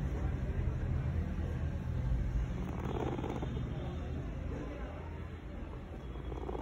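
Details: Baby guinea pig vibrating loudly, a steady low rumbling buzz that pulses rapidly and continuously throughout, with faint background noise above.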